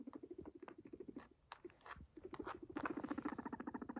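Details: A pet guinea pig, having come to its owner, gives a low, rapid, pulsing purr. One burst comes at the start and a louder, steadier one at the end, with soft clicks and rustling in between.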